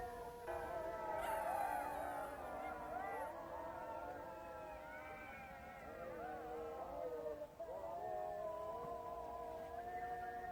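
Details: A chorus of jackals: many voices wail together in wavering, sliding howls, mixed with short yelps. The calling rises after the first second and keeps going without pause to the end.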